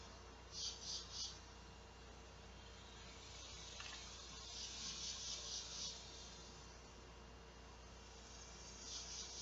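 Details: A large male cicada gives a dry, high-pitched buzzing call in pulsing bursts over a low hum. It was heard from an open front door in San Saba, Texas, at 12:10 p.m. on a hot 2 August 2016, calling for females to mate; this is quieter than its loudest.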